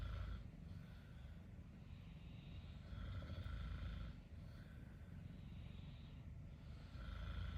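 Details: Exotic Shorthair cat sleeping on mum's futon, kneading with its paws: steady snoring breaths, each a rough, breathy rasp lasting about a second, repeating roughly every one and a half to two seconds.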